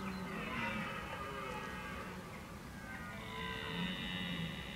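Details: Red deer bellowing, or bolving, in October 2014 while preparing for the rut: a faint, drawn-out, harmonic groan that swells and fades, with a second rising tone near the end over steady background hiss.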